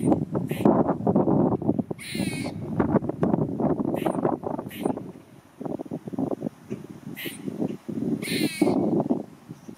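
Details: Talkative squirrel, his tail flicking with certain utterances, keeps up dense harsh chattering pulses for nearly ten seconds, broken by several short high-pitched wavering squeals.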